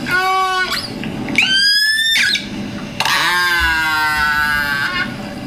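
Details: A killer whale produces a repeated call pattern at natural speed: harmonic-rich pulsed calls, squealing and rising, then sliding down and holding, with clicks but not considered echolocation. Finding: Killer whale.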